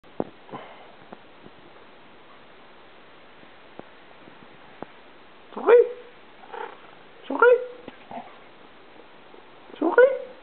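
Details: Souris, a pet cat that is half Siamese and half unknown breed, meows three times indoors; each meow is loud and bends downward, and they come about two seconds apart after quiet clicks and soft noises.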